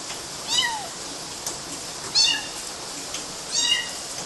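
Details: Kittens scrambling over mosquito nets in Galati, Romania, June 2012: three short, high, falling meows spaced about one and a half seconds apart, each bright and slightly bent downward, over a light hiss.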